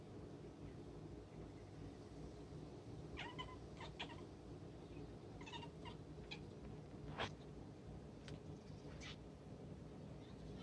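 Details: Calico cat, the household's youngest, indoors chattering at birds it is watching: short clipped chirps with a ringing overtone come in small clusters, some doubled, others single, scattered over about ten seconds against a steady low background hum.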